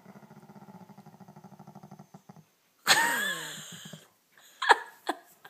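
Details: Slider the dog waking in the morning: soft rhythmic snuffling breaths, then a loud breathy yawn sliding downward, followed by a sharp sneeze and a few short snorts, indoors.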